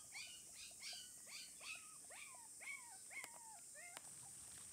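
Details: Female red Shiba Inu pup, 27 days old, whining in a series of about eight thin, falling cries. Each is drawn out and slides downward, spaced roughly half a second apart. Two brief clicks sound near the end.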